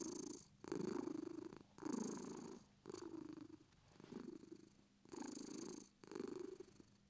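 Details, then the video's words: British Shorthair cat purring up close, deep raspy rumble in about six breath-linked surges, each swelling then tapering before a short pause. "British shorts purr"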